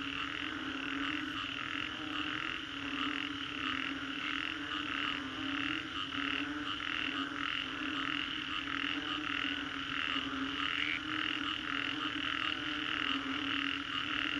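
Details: After a storm at Singapore's Green Corridor, many frogs call together, a thick chorus of rhythmic croaking pulses repeating roughly every half second over a steady background drone.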